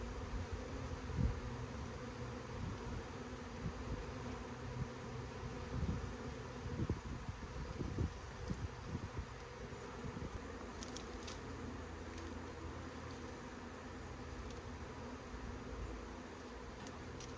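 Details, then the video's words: Honey bee swarm being scooped up by hand: a steady low droning hum fills the recording, with rustling and handling thumps from about six to nine seconds and a few faint clicks. "Bee SWARM!"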